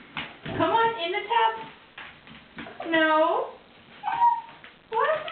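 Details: Siberian husky named Wolfie protesting the threat of a bath indoors: drawn-out, wavering, harmonic howl-like grumbles in five separate bursts, some rising and bending in pitch, with quiet gaps between.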